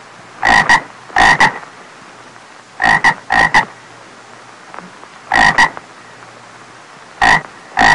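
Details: Croaking frog, its call rendered "ộp ộp", giving sharp, rasping double croaks in pairs every two to three seconds over a steady low hum, no other animals heard.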